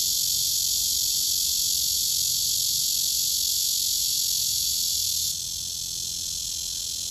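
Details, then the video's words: Cicada, herald of summer, serenading for a mate: a continuous high, sizzling buzz that holds steady, then drops slightly in volume near the end while still droning on. "여름의 전령(매미)"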